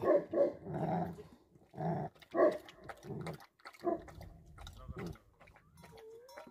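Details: Livestock guardian Tibetan Mastiff (Bhote Kukur) in Nepal giving deep, rough barks in quick pairs and short groups with brief pauses between, fading into quieter noise and a faint whistle near the close.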